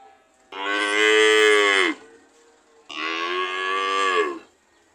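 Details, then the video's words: Cow lowing twice in a row, each call about one and a half seconds, strong and even, sliding down in pitch at the end, with a brief quiet gap between calls. "Sound of cow"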